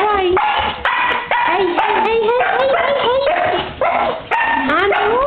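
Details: Female pet dog excitedly greeting her owner on his return after an hour alone, producing continuous high yips and sliding, howl-like whines that rise and fall with no pauses, possibly mixed with the owner's voice.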